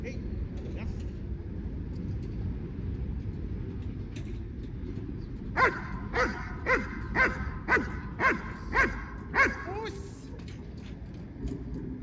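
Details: German Shepherd during basic obedience training: after about five seconds of low background rumble, a run of eight sharp, evenly spaced barks roughly half a second apart, then the barking stops and the low noise continues.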